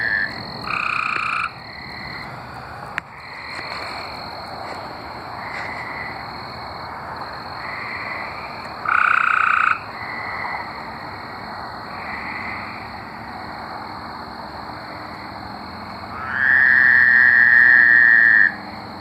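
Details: Singing tree frogs from Arkansas, heard mostly at a distance as faint, spaced trills. Two louder, close pulsed trills stand out, a short one midway and a two-second buzzy trill near the end.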